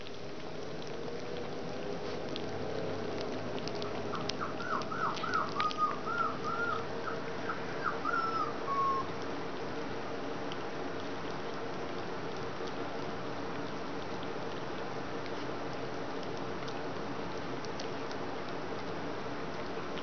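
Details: Collie puppies from the E litter at their first real meal, 30 January 2013: a thin, wavering high whine rising and falling in a run of short notes for about five seconds mid-clip, then steady low room hum and faint patter.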